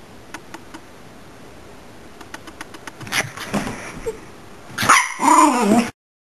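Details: Miniature Pinscher upset at being filmed: a few soft clicks, then short sharp snarling barks building to a loud rasping growl-bark with a wavering whine at the end.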